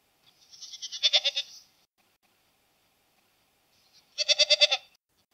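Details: Domestic goat bleating twice: a quavering, pulsed bleat about a second long, then a pause of over two seconds and a second tremulous bleat of similar length; no other sounds.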